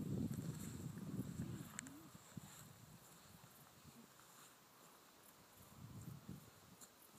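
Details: A red deer stag gives a deep, guttural roar, rising and falling in pitch, during the rut (breeding season) on 9 October 2012 at Westerton Heath, RSPB Minsmere, Suffolk, heard at a distance while guarding hinds and warning off other stags.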